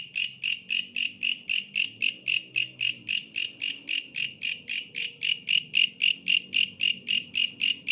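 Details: Bush cricket sounding a fast, regular series of shrill rasping pulses, about four per second, bright and high-pitched, while a low background hum and murmur run beneath.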